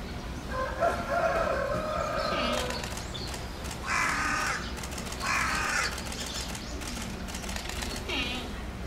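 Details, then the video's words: Tantan, a giant panda at Oji Zoo, calls repeatedly on 19 January 2021 while excited by swirling snow; a drawn-out harmonic bleat opens, followed by two short, harsher bursts about a second and a half apart, over low hum. "タンタン、舞い散る雪に大興奮！？ 立ち上がってガリガリ！ しばらく鳴いていた"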